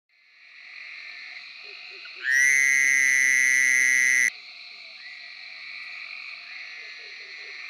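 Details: Fowler's Toad from Tennessee giving its bursting cry of a call, likened to a baby crying or an alarm clock: one steady, nasal, buzzy tone lasting about two seconds, over a faint chorus of other frogs.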